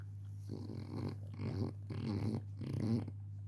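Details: French Bulldog puppy Pepe el Jefe asleep and snoring, giving a regular series of four short, grunting, gravelly inhaled snores about half a second apart over a constant low background hum.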